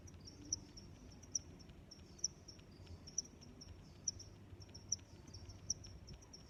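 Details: Cricket chirping in short, bright, high-pitched bursts about every 0.8 seconds, softer buzzy trills weaving between the louder chirps, with a low steady hum underneath.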